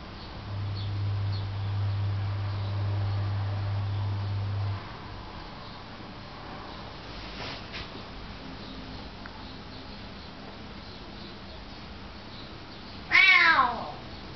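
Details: Cat lets out a single clear, falling meow right near the end, after a long stretch of low steady hum and soft background noise.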